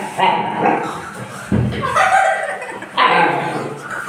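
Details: Siberian Husky puppy and its mother at play, giving drawn-out harmonic whines and yelping barks in three bursts, with background noise throughout.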